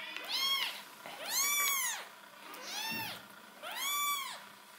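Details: Golden shaded or ticked cat indoors: four loud, rich, arching meows, each rising then falling, spaced roughly a second apart, with faint speech in the background.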